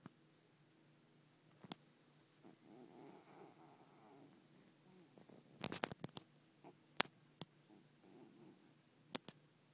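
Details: Male domestic cat making grumpy noises after being woken up: low, rough, purr-like grumbles in a burst around the middle, with scattered sharp clicks and rustles in a quiet indoor room.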